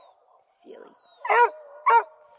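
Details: Coonhound from a crew of Bluetick, Redbone and Black and tan hounds near Kingston, Ontario, Canada: a soft low murmur and a brief hiss, then two strong, ringing barks about half a second apart.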